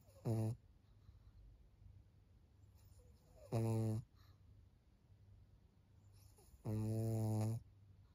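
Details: Snoring from Maria, a fourteen-year-old fawn female pug, a senior dog in Japan, on 4 June 2024: three loud, deep, buzzy rasping snores, each about half a second to a second long, repeating roughly every three seconds, with quiet breathing between.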